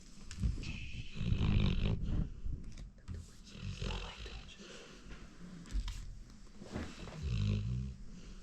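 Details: Sleeping female pet dog snoring indoors, low rumbling breaths that swell roughly every three seconds, with faint room noise between them.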